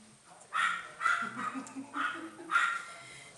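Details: White Chihuahua puppy giving five short, high yips spaced about half a second apart, with a faint low hum underneath.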